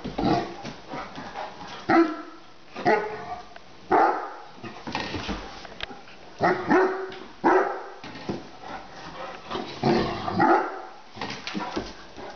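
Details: Ten-month-old female Great Dane named Lilly barks at a lid placed on the ground in the kitchen; strong harmonic barks come about once a second, some doubled, with short breathy sounds in the gaps.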